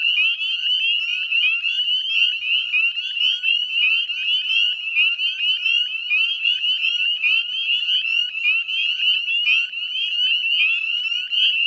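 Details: Spring chorus of northern spring peepers, West Chezzetcook, Nova Scotia, at dusk in May 2020: many frogs giving short high rising peeps so close together they merge into a steady shrill drone.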